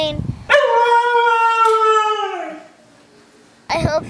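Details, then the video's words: Mishka, a pet dog, asking for treats, filmed on an Apple iPhone: after a brief human voice comes a long, clear, tonal howl, held steady for about two seconds and slowly sliding lower, then silence and another short vocal burst. "Mishka Asks for Treats"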